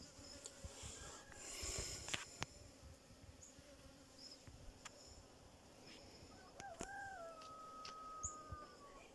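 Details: Bee giving a soft continuous buzz with brief louder passes, a rustling burst early on, and clear whistled bird-like notes sliding downward near the end.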